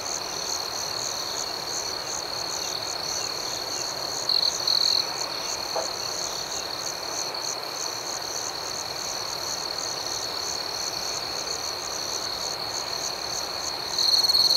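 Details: ['Night chorus of crickets, a continuous piercing high tone layered with quick rhythmic chirps a few times per second, plus short louder surges around four seconds and at the close.']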